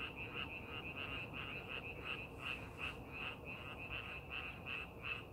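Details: Frogs in a paddy field being prepared for farming give short, pulsed croaks repeating nearly three times a second, a rhythmic chorus with a soft low background drone.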